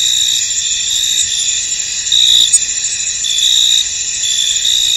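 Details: Chorus of crickets chirping in a fog-covered field, a continuous high shimmering trill layered with louder pulsed chirps, briefly interrupted near the middle by a short sharp click.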